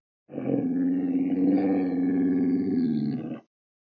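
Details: Sloth bear. A sloth bear lets out a loud, drawn-out roar lasting about three seconds, rough and rasping with a rapid throbbing pulse. The pitch stays fairly level throughout before the sound cuts off abruptly.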